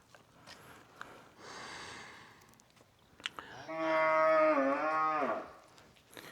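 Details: Cow mooing in an old mountain village high in the mountains of Jiangxi, China: a single long, loud, harmonic moo lasting about a second and a half, rising then dipping, with soft rustling and clicks before it.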